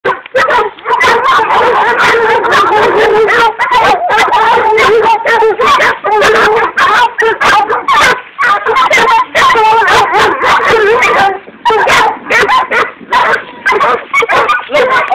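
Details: Young working puppies baying while chasing a pig: dense, continuous yelping and baying with overlapping high barks, nearly unbroken through the recording, with a few short gaps.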